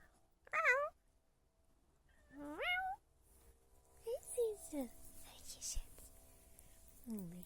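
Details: Domestic cat indoors, coming when its owner calls and meowing while yawning; two clear rising, harmonic meows about two seconds apart, then softer, falling mews, with a woman speaking German affectionately between them.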